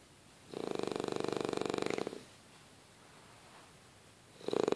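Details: A French Bulldog snores while sleeping, in long, rattling, mid-pitched breaths with a fine buzzing flutter.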